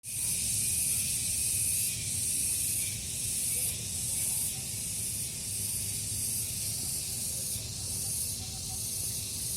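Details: Cicadas calling in a garden in the morning, sometimes in turn and sometimes together: a steady, hissing high-pitched drone that swells and eases about every two seconds, over a faint low rumble.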